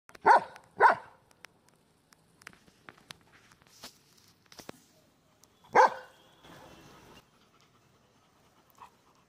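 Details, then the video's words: Female Golden Retriever barking back at her own echoes; two quick sharp barks, a pause with faint rustling, then a third bark near six seconds followed by a brief echoing tail, otherwise quiet. "Barks back at her echoes"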